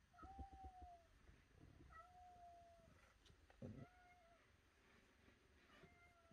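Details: Domestic cat meowing indoors: several drawn-out, slightly falling meows spaced a second or two apart, with low rumbling background noise.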